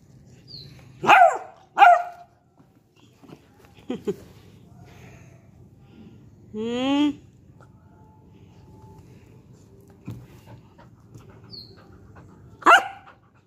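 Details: Beagle puppy named Diego barking during play: two sharp barks near the start, a long rising whine-like yelp midway with stacked harmonics, then a final bark near the end; quiet room with faint background hum.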